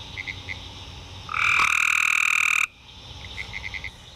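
Spring peepers give short, high, whistled peeps in quick series, broken midway by a louder, steady high tone lasting about a second.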